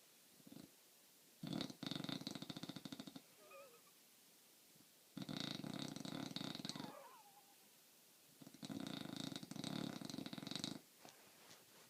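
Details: Bulldog asleep and snoring the house down: three loud, buzzy, rattling inhalations, each about two seconds long and spaced roughly every three and a half seconds, with faint sounds in the quiet pauses.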